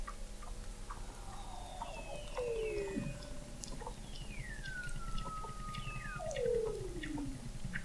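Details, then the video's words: Weddell seals singing under the frozen surface of McMurdo Sound, Antarctica, captured November 2017 by an observatory 70 ft below the ice; several falling whistles and glides overlap, with a clear downward sweep near the end and scattered ticks. "Song of the Antarctic Weddell Seal"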